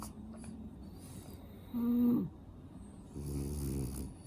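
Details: Snoring French Bulldog, sleeping with a congested nose: a sharp, steady nasal whistle lasting half a second, then quieter raspy buzzing breaths, one deep rattling snore near the end.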